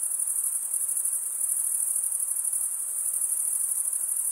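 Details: Crickets chirping at night in a summer forest: a dense, unbroken high-pitched trill with a fine, rapid pulsing texture, steady in loudness throughout, with no other animals, voices or music.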